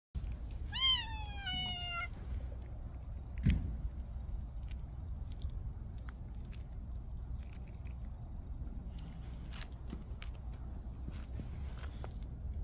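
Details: Stray cat gives a single drawn-out meow that rises and then falls, then eats eagerly, with scattered chewing clicks and a low outdoor rumble behind it.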